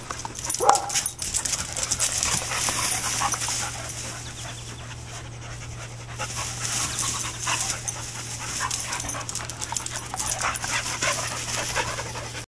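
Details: Dogs playing together, panting heard as a steady breathy hiss through much of the recording, with scattered clicks and rustling movement noise and a constant low hum underneath.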